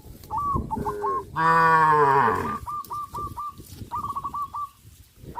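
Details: Cows on a traditional village farm walking towards green grass fields: one long, loud, harmonic moo lasting about a second, with repeated short chirping bird calls before and after it.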